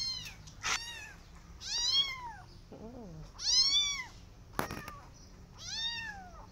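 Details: Persian cat with her adopted kittens walking in a garden and watching rabbits; four loud, drawn-out arched meows rich in overtones, each rising then falling, broken by sharp clicks and knocks.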